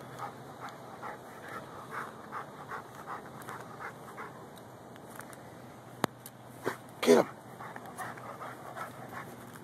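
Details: Lou, a Rhodesian Ridgeback and Bull Mastiff mix dog, digging after a pocket gopher in a garden, recorded on a Samsung Galaxy S3. Rapid, breathy panting pulses repeat in a steady rhythm, with a man urging him to get the gopher and a sharp click near the end.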